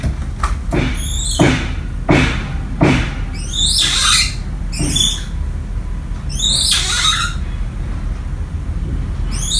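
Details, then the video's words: Lovely, a young pet grey-shanked douc langur about 1.5 years old in Vietnam, orphaned by hunters, calls for her absent human mother: high squealing cries that sweep downward, repeated in bursts, indoors amid thumps and a person speaking. "Grey Shanked Douc Langur: Call Mom Home | Tiếng Voọc Con Gọi Nhớ Mẹ"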